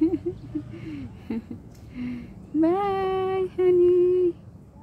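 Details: As separation from its owner begins, a cat lets out two long, strong meows after soft murmuring sounds. The first rises and holds steady; the second follows quickly and is level and drawn out.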